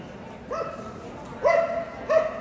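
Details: Three quick high barks, each bright and ringing, from a Löwchen at the Kentuckiana Cluster AKC sweepstakes in Louisville, Kentucky, on March 18, 2022, with soft crowd hum of the exhibition hall underneath.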